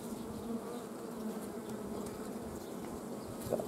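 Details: Honey bees at a Romanian apiary on 15 July 2016, while honey is extracted from bio-hives during the flow. Steady, uniform low buzzing for nearly four seconds, with a small knock near the end.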